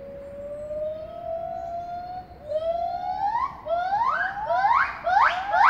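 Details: Gibbons at Apenheul zoo, Apeldoorn, begin their day singing, audible far into town: a long, slowly rising hoot breaking into faster, sharply upswept whoops.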